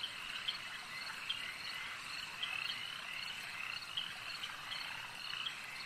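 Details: Many frogs croaking at a lake, a thick continuous chorus of high, rattling calls with several brief louder notes standing out roughly every second; no other sounds clearly heard.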